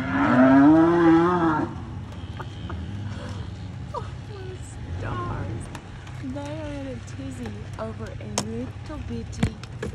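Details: On November 25, 2021 in Vina, Alabama, USA, a protective mother cow with newborn calves gives a loud, deep, drawn-out bellowing growl of about two seconds, upset by a visiting cattle egret; a woman then talks over quieter lowing.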